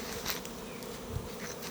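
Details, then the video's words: Honey bees fighting in a hive box that has no food, a dense steady buzz of many bees throughout with brief brighter flickers. "মৌমাছির বক্সে খাবার না থাকলে মৌমাছি কিভাবে মারামারি করে"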